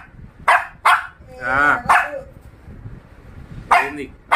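A Shih Tzu puppy gives sharp, high yaps with a drawn-out whiny bark between them.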